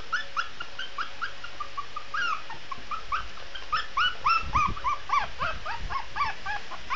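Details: Shih Tzu puppy howling: a run of short, high, whiny yelps, each bending up then down, repeated several times a second in uneven bursts, with faint low thumps underneath.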